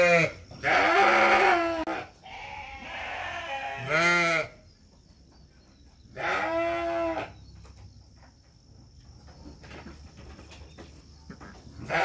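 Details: Batur Merino sheep at lambing, as two lambs are born; three loud, wavering, harmonic-rich bleats come at the start, near four seconds and near six and a half seconds, over a faint steady high insect-like whine.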